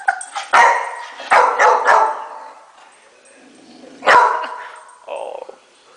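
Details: Indoor Rottweiler barks at the dishwasher's top rack during unloading; three quick gruff barks, a pause, then another loud bark and a softer closing one, with some speech in the room.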